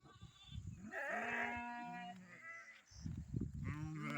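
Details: Sheep heading home, a lamb bleating in a village farm setting: a long wavering, nasal bleat that swells and then fades, followed by softer rumbling noise and a second short, rising bleat near the end.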